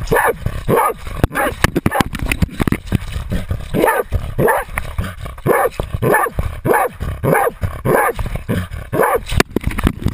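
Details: Otto, a Jagdterrier, holds a 250 lb boar at bay with a GoPro attached; rapid rhythmic barking, nearly two barks a second, continues for ten seconds, mixed with scuffling, brush noise and sharp clicks.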